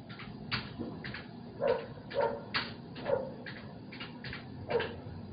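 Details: Night-time barking by a domestic dog near a house; about six short, sharp barks spaced irregularly over five seconds, fairly distant, against a constant low rumble and scattered clicks.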